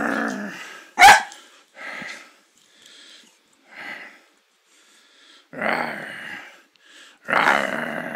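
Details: Poodle under a blanket during a play-fighting game indoors: one sharp bark, then scattered low rough growls of varying length separated by short silences, the final growls longest and loudest.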